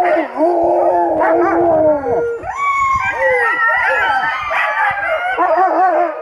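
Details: Alaskan Malamutes, older dogs taken out skiing on a warm winter day with snow sticking to the skis, howl loudly. Several overlapping voices produce long, wavering tones that rise and fall, with sliding pitch bends and no pauses.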